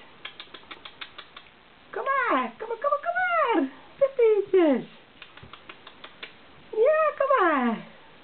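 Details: Welsh Springer Spaniel puppies from Misty's litter, 18 days old on 6 April 2012, just starting to walk and yap: bursts of high, arching whines and yelps rising then falling, between runs of light tapping clicks indoors.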